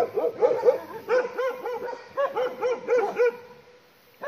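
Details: Bhotia dog at a farm, alerted by a leopard nearby, gives clipped barks about four per second in short bursts that trail off into quiet before one last bark.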